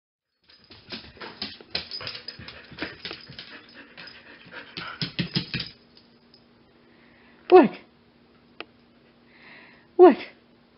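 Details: Wendy, a shelter Siberian Husky available through Pet Harbor Rescue, is in a small room. Rustling and a person talking come first, followed by two brief, sharp, falling yelps about two and a half seconds apart against a low hum.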